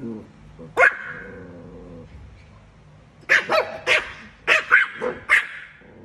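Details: Chihuahua dog barking at a cat: one lone shrill yap, a pause, then a rapid burst of about seven high barks in quick succession, with a woman's Thai speech faintly underneath.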